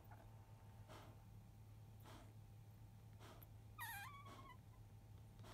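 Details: Field-type Labrador Retriever puppies, five days old, born to 2017 JFA grand champion biscuit, in the quiet after nursing just past 1 pm; a single short wavering whimper rises then dips midway, over a steady low hum and soft rustling.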